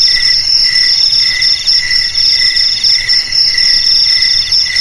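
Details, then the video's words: Crickets offered as a sound to scare rats away from homes, garages, storerooms and rice fields: a steady, shrill high trill rings without pause over a lower, pulsing chirr that beats about four times a second. "Suara JANGKRIK Pengusir TIKUS Paling Ampuh untuk di Rumah,Garasi,Gudang,Sawah Agar Aman dari TIKUS"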